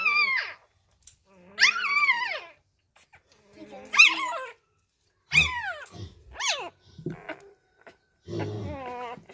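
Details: Newborn Labrador Retriever puppies, bottle-fed because their first-time mother keeps deserting them, let out separate, high, sliding squeals that sweep downward, each lasting under a second, with quiet gaps between and soft low grunts.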